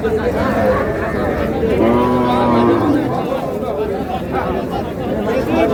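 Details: Cow at the Raniganj haat livestock market in Dinajpur, 25 June 2026, where cows with calves are traded; one drawn-out low moo of about a second sounds mid-clip over constant crowd chatter and bargaining voices.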